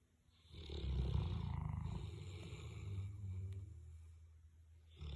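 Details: Sleeping Boerboel, one of two dogs snoring together; a single drawn-out, growly snore swells from quiet, rattles loudly through its middle, then fades into softer rasping breath.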